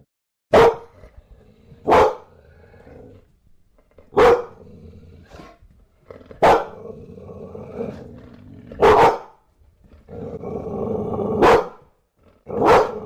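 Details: Bulldog barking: short, forceful single barks spaced roughly every one to two seconds, about seven in all, with a softer grumbling growl filling some of the gaps between them.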